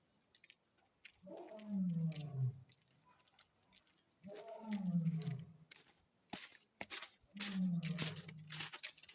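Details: Zoo lion at Maruyama Zoo, recorded 28 February 2025, gives three low, drawn-out, groaning roars that fall in pitch, spaced about three seconds apart, with crackling hiss and clatter in the later part.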